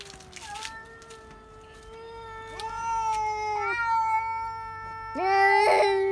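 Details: Housecats giving shrill screaming cries, said to happen when a cat is seen outdoors; sustained steady yowls with rising starts, ending in a harsh raspy burst, faint background hum.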